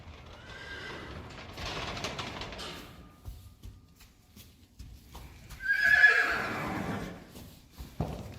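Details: Friesian horses, mares with weeks-old filly foals, being let out to the field on 4 November 2019; a loud, shrill whinny rises and wavers for over a second near the end, with softer rustling and hoof sounds before it.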